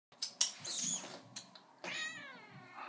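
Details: A female seal point Siamese cat, a little over 4 years old, talking to her owners from a bathroom sink, gives a long, drawn-out, nasal meow after a few short clicks and rustles.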